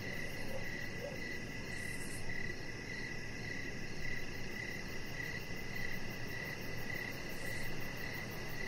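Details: Crickets heard in the evening outside by a deck: rhythmic short chirps repeating about twice a second, with a soft constant hiss underneath.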